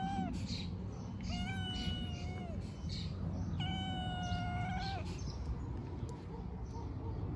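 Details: Young street cats, homeless and being fed outdoors, meow repeatedly: a brief cry, then two long level meows of over a second each with rich harmonics, against constant low background rumble.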